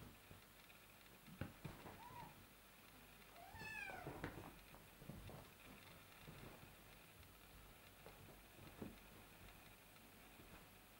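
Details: Kittens playing with their owner. Quiet, brief meows rise and fall, the clearest one high and wavering. Soft rustling and handling noises run underneath.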